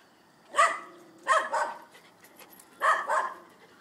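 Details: A male Dobermann gives a few deep, harsh barks, some doubled, with short pauses between them.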